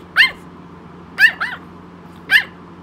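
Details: Tiny 3 lb Yorkshire Terrier indoors yapping to be picked up: four sharp, high yaps in two bursts, a double yap in the middle, with a steady low electrical hum underneath.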